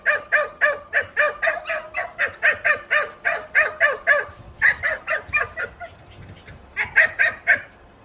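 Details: Two-month-old Kishu dog puppies, hunting dogs meeting a wild boar for the first time: fast, high-pitched yapping barks in a steady run of about four per second, a short pause, then a few more bursts.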